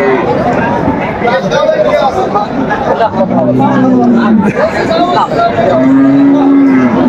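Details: At Aftabganj market in Dinajpur, Bangladesh, a cow offered for sale with calf gives two long steady moos, each held a second or more, amid busy crowd talk and price calls.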